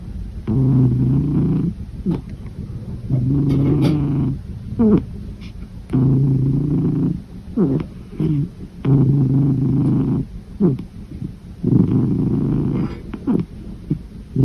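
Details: Domestic cat snoring while asleep: low, droning rumbles about a second long come roughly every three seconds, each followed by short, falling, wheezy breaths. The rhythm is steady and the background is quiet.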